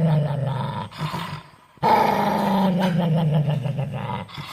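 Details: Dog growling, a short low rumble, a pause of nearly a second, then a longer sustained rumbling growl with a pulsing texture.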